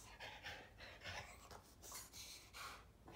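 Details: An adopted female Staffy Ridgeback cross rescue dog demanding attention indoors while her owner talks on the phone makes a run of loud breathy huffs and pants in uneven bursts about every half second.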